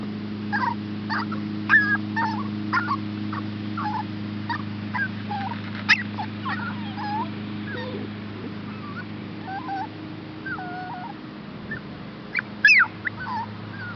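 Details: Chihuahua and Shepherd hound rescue puppies Olive and Max, up for adoption, whining in a string of soft, wavering cries that thin out and grow quieter, a couple of sharper yelps near the end, steady low hum throughout.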